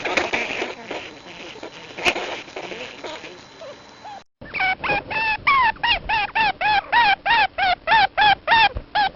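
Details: Plains viscacha in Argentina: noisy chattering at first, then a steady series of short, nasal, arched squeaky calls repeated about three times a second for several seconds.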